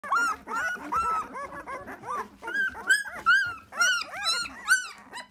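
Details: Newborn Belgian Malinois puppies from a litter of twelve, held briefly in a box during playpen cleaning, crying and whining from hunger or discomfort: rising-falling whimpers, several overlapping, repeated about twice a second, over a steady low hum.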